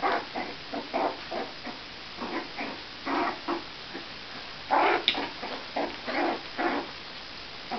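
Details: Several four-week-old Jack Russell Terrier puppies at a kennel whimpering and yipping in short squeaky bursts, irregular and overlapping, with one louder squeal midway.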